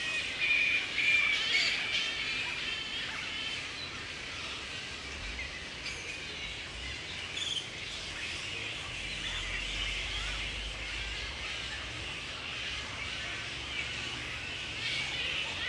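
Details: Mid-April breeding season at Woodford, Australia: wild grey-headed flying foxes roost in mating pairs. A loud burst of squealing opens the recording, then it settles into continuous high chattering squabbles from the colony.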